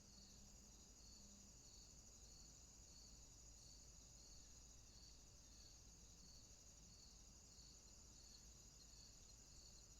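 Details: Crickets in a nighttime swamp keep up a regular pulsing trill, each beat clearly spaced, beneath a steady shrill insect tone, with a faint low hum in the background.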